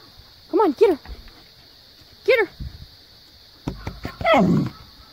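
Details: Siberian husky Maya vocalizing at her housemate Jo, an Australian Cattle Dog, telling her to get off the play set and come play; three short arched, whining 'talking' calls rising and falling in pitch, then a longer rough call with background noise.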